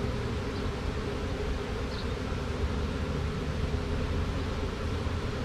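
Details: Swarm of honey bees entering a box after a tree-branch shake; an even, low, droning buzz of the massed colony holds throughout, with a faint higher whine of a nearby bee around two seconds.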